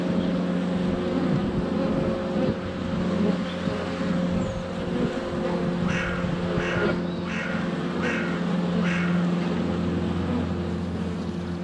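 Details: Honey bees flying around a hive entrance on a sunny February day, recorded with a GoPro Hero 7 Black less than a foot away. A steady low drone hums throughout, with a few short clucking bursts, likely from chickens, late on.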